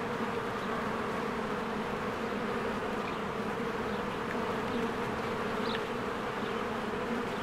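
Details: Springtime beehive with swarms of bees coming and going. A thick, even buzz fills the whole stretch without pause, a low steady hum underneath, and a soft high bird note rises briefly near the end.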